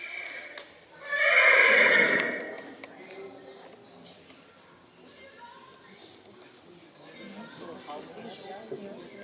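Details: Two-year-old Black Forest draught mare at a young-mare show in St. Märgen, Germany, on 23 October 2021, giving one loud, high shrill neigh of about a second, then quieter arena background noise.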